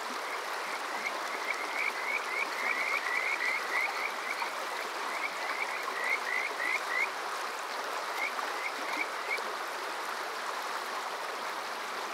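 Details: Summer-night chorus of Kajika frogs at Water Park Shirayama in Yokoze, Chichibu, Saitama, Japan, TASCAM DR-05X recorder: bright upslurred whistle notes repeated several per second in bursts, fading out near the end, over constant flowing water.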